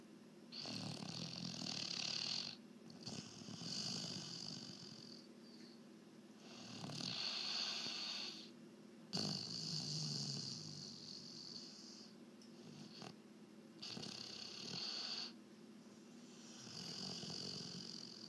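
A Weimaraner snores in slow, raspy, breathy bursts, each lasting a second or two.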